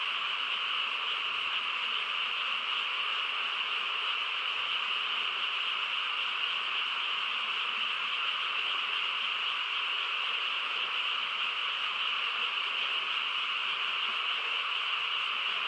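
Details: Night chorus of frogs in a calm rural setting: countless callers blend into a steady, shimmering drone of croaks and trills, constant in loudness throughout.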